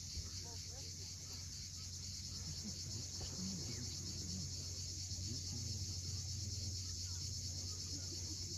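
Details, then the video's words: At sunset on the Crimean coast at Cape Fiolent, cicadas keep up a continuous high-pitched hiss, with waves rumbling below and a few faint bird notes around the middle. "Cicadas at sunset."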